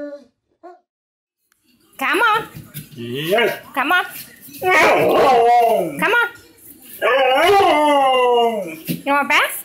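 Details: Pet huskies singing together indoors: loud overlapping wavering howls and yips, several voices swooping up and down at once, after a quiet start.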